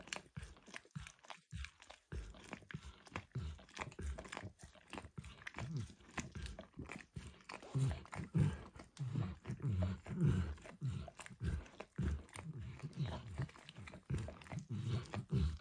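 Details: Max the dog steadily licking food off a bumpy orange mat, from eggs to diluted peanut oil; dense run of moist slurping and tongue smacks, faster and thicker after a short pause near the start, close indoor recording.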